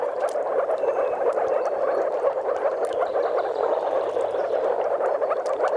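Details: Moor frogs calling in courtship at a spawning site in Mecklenburg-Vorpommern, Germany, alongside a few common frogs; many voices merge into an unbroken, bubbling, gurgling chorus with soft clicks above.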